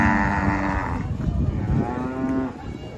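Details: Agitated cattle at Karanggede market in Indonesia, being unloaded from a truck, giving a harmonic moo that drops off, then a second rising and falling moo, amid crowd noise and low rumble.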